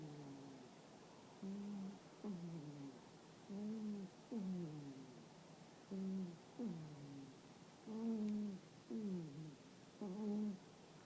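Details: Sleeping toy poodle named Rara with a loud snore: regular cycle of breathy, tonal in-and-out snores, each breath a humming whistle that bends downward, roughly one pair every two seconds, in a quiet small room.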